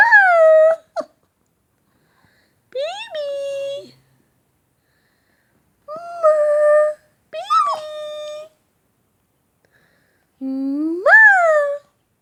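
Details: Young male Shih Tzu pup indoors, reacting to being kissed or called "baby", gives four separate drawn-out whining cries that rise and then fall. Each lasts about a second, with short silences between them.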